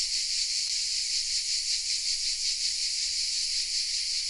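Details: Hidden in oaks at Vézénobres in the south of France, cicadas keep up a steady, piercing buzz, softly pulsing several times each second, one unbroken chorus with no pauses.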